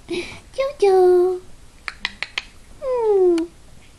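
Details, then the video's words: Papillon puppies indoors: a brief yelp leads into a steady whine that drops slightly, a few sharp taps, then a second whine falling in pitch. "Papillon puppies"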